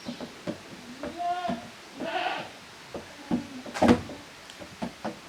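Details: Young goats from Koharu's and Okayu's litters at play in the yard of a handmade Japanese goat farm on 13 June 2023; two short quavering bleats among knocks and bumps.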